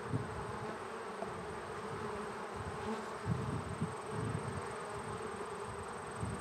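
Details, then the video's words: Honey bees inside a beehive split open with a spacer between hive bodies, a dense, steady low drone with soft buzzing swells. "Magical Humming Bees = Relaxing Beehive Sounds 3 Hours"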